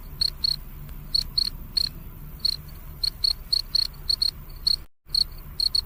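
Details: A cricket's night chirps, shrill and short, repeated in loose pairs and clusters across the stretch, over faint low ambient hum, broken once by a short gap of silence.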